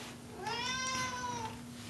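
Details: Domestic cat Pancake meowing indoors as its owner reassures it nobody is outside; a single drawn-out meow rising then slowly falling over about a second, rich in harmonics, steady room hum in the background.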